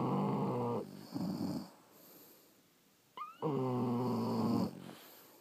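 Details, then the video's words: French Bulldogs sleeping, one giving loud deep snores with a harsh buzzing rattle, two bursts close together, then a quiet gap and a brief squeak before the next heavy snore. "Snoring French Bulldogs"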